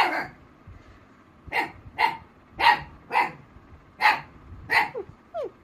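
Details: Rossy, a female Black Mouth Cur, answers an imitated puppy sound with barking. Eight clipped barks follow a short pause, and faint thin sliding squeaks like a whimper are heard at the end.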